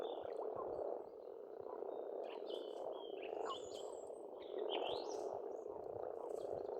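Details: Many frogs croaking together in spring at a pond on an Estonian farmstead, forming an unbroken rough hum; bright bird whistles and chirps sound intermittently overhead.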